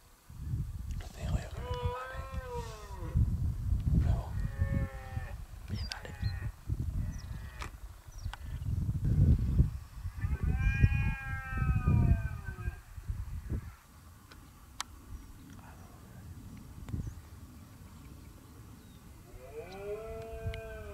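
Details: Red deer stags give drawn-out, arching rutting bellows at Acrijos, Soria, Spain, on 29 September 2017, while people nearby talk quietly while watching.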